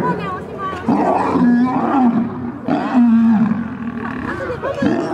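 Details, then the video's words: Lions fighting: two long harsh growling roars, each about a second, with snarling bursts between them and a low rumbling underneath. "Lions vs Lions | Lion fights"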